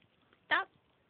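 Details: A two- or three-week-old Shih Tzu puppy gives one brief, high, squeaky cry in a quiet room while licking and kissing a person.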